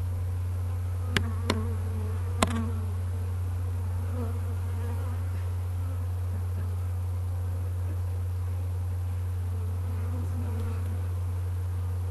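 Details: Honey bee swarm recorded on 12 May 2012, gradually moving into a skep, with about ninety percent inside and the rest scouting above; a steady low drone throughout, a few sharp clicks early on, and faint voices.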